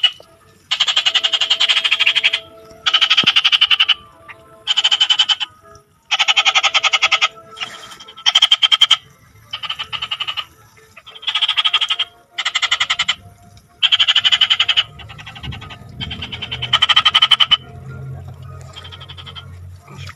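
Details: Frog calling in a steady series of harsh, buzzy croaks, each a pulsed burst of about half a second to a second, coming roughly once per second with short gaps, and a low rumble rising beneath the later calls.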